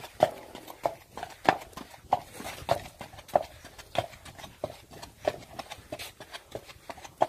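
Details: Hooves of a Friesian horse striking hard ground, clear clip-clop knocks arriving about every half second, somewhat uneven, close and dry with a faint room-like echo.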